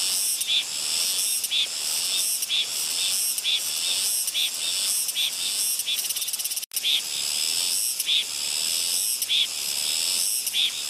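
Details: Soyosan cicada recorded on Muuido, Korea: an intense, high-pitched buzzing hiss with rhythmic pulses recurring about once a second, briefly cut by a sharp click and momentary dropout midway before the droning resumes.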